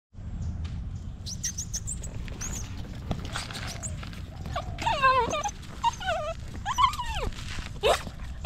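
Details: Stray puppy held in a person's arms, crying for help: several high, wavering whines and yelps rising and falling, clustered in the second half, over a steady low rumbling background.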